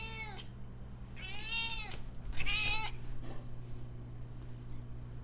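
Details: An old female cat begs for food or attention with three insistent meows, the middle one longest and arching, followed by a soft chirp, against a constant low hum.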